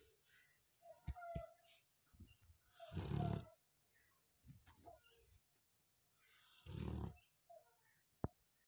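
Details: Labrador Retriever dog asleep and snoring, two loud rasping snores about four seconds apart separated by softer wheezy breaths and small clicks.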